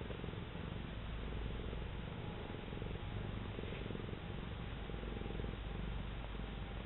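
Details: Cat kneading during a sunbath, giving an unbroken low, throbbing purr that stays close and even from start to finish.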